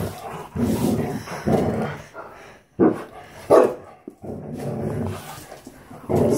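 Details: Playing Standard Poodles, three breeding females and Onyx: two sharp single barks a moment apart, framed by a woman talking and rustling movement.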